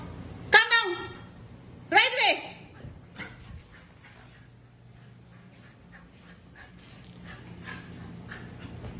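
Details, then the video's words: Ten-week-old Siberian Husky puppy named Bruno, excited, gives two loud arched, tonal yowls about one and a half seconds apart, each rising then falling, followed by faint scattered clicks and soft household noise. "Excited Husky Puppy Bruno"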